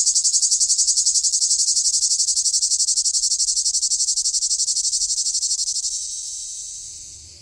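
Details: Summer cicada's high, rasping buzz pulsing rapidly and evenly, then fading and trailing off over the last second and a half.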